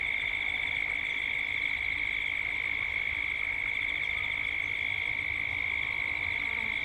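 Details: Cicadas calling at dusk in Gippsland, Australia, captured as a 3D sound ambience: a steady, shrill, high buzzing drone with a fast pulsing texture that runs unbroken throughout.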